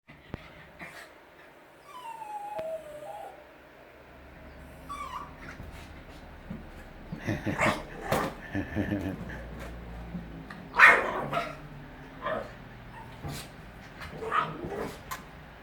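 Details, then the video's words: Jack Russell Terrier puppy playing with balloons, giving short high whining yips that slide downward, mixed with sharp broadband rustling and popping bursts and a person's voice in the background. "Jack Russell puppy and balloons"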